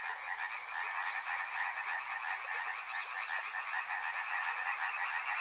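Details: A thick chorus of frogs by a river, rapid overlapping croaks forming a constant rattling drone, with faint clicks in the background.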